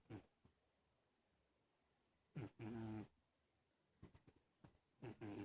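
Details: Faint snoring from a sleeping cat: two drawn-out, low humming breaths about two and a half seconds apart, with a few brief snuffles between them, in an otherwise silent room.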